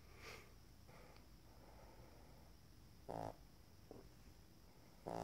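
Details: Shar Pei puppies snoring, a quiet low rasping breath over steady background hiss, with two short louder broadband snorts near the end of the recording.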